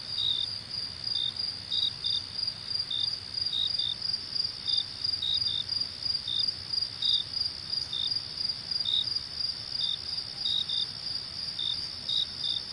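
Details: Crickets chirping at night: a steady, unbroken high-pitched trill with many short, slightly lower chirps scattered irregularly across it, often in quick pairs, over a faint low rumble.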